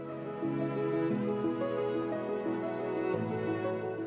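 Slow, sustained bowed-string music plays throughout, with no animal sounds.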